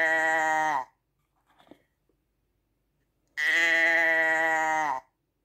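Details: Two sheep bleats, the first ending, then after a short pause with faint rustling a long, steady, strongly harmonic bleat of about a second and a half that sags slightly at its close.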